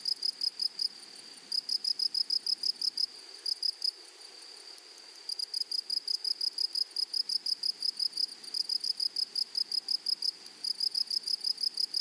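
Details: Meadow grasshoppers on a flowery prairie: rapid series of clear, shrill pulses, roughly three each second, with two short silent gaps and a quiet, even hiss beneath.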